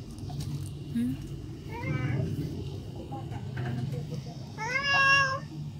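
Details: A cat meows while asking for food, a few short harmonic meows with a longer, louder drawn-out meow near the end, over steady low household hum and some speech.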